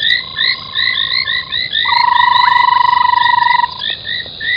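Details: At night beside a foam nest at a waterhole in Djuma Game Reserve, Sabi Sand, South Africa, frogs give quick repeated chirps over long even buzzing trills, many voices overlapping continuously.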